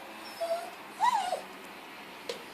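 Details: A Bichon Frise dog while playing indoors gives a short, thin whine: one faint level tone, then a louder high whimper that rises and falls, with a woman speaking softly around it.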